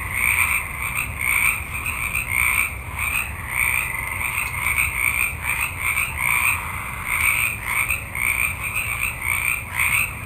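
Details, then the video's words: A nighttime forest holds a large frog chorus. Many frogs give rapid, grating croaks that rise and fall in rhythmic waves about twice per second, forming a continuous throbbing wall of sound over a low background rumble. "Forest Ambiance With Frogs Ext Night, Multitude Of Frogs"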